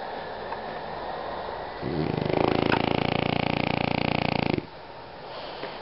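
A French Bulldog snores with a rough, rattling buzz lasting about three seconds.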